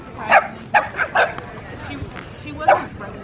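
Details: Upset French Bulldog barking at its owner: a quick burst of three or four yappy barks early on, a pause with soft whimpers, then one more bark, over a low room hum.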